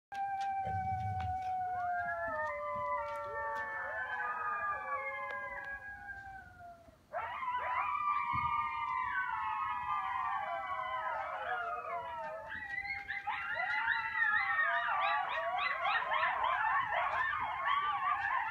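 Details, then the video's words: Several coyotes howl together at sunset on Sullivans Island, South Carolina, in long, wavering, overlapping tones that break into high yips and warbles. "Coyotes howling at sunset on Sullivans Island, SC"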